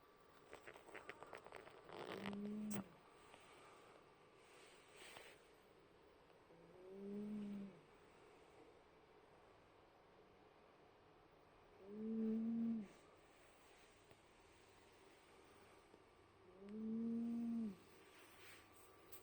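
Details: Soft cat snoring: four low, hummed snores, one roughly every five seconds, quiet against faint room hiss.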